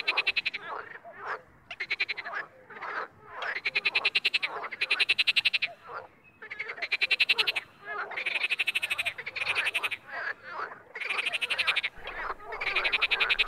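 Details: Frog sounds from the wild: bursts of rapid, pulsed, rattling croaks, each lasting about half a second to a second, repeated in quick succession with short pauses between bouts.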